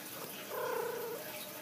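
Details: Pet cat at home lets out one steady, slightly wavering meow lasting under a second, against a soft hiss of room noise; a person speaks before and after.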